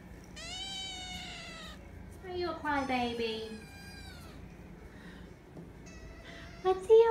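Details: Nine-week-old foster kittens, offspring of a former stray, living in a foster room: two drawn-out, high, wavering cries in quick succession, then a woman speaking softly to them.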